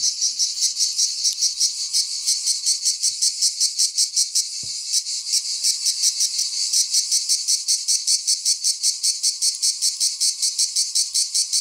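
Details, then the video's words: Cicada (Greek τζιτζίκι) song: a continuous shrill, high rasp broken into rapid regular pulses, about two or three per second, steady in loudness, over an otherwise quiet background with one brief low click. "cicada / τζιτζίκι / τέττιξ"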